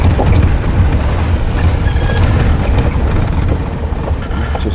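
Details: Deep vehicle engine rumble with a brief air-brake hiss, and no animal voices. Low mechanical noise fills the recording throughout.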